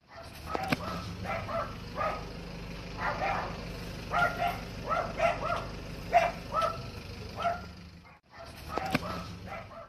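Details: A Yorkshire Terrier gives runs of short, shrill, yapping barks in quick, uneven bursts, several a second, over a low steady hum.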